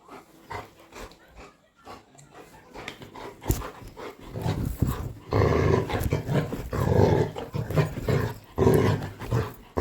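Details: A pet Labrador Retriever growls at its owner in a show of scaring: a few faint grumbles at first, then from about five seconds a continuous deep, rumbling growl that swells and dips, with a woman talking nearby.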